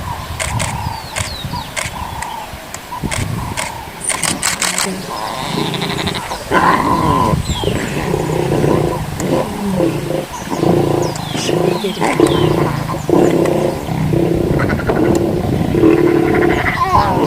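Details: A lion cub nursing from its mother in Sabi Sabi Wildlife Sanctuary growls in low, rough, rumbling bursts, with faint human voices early on.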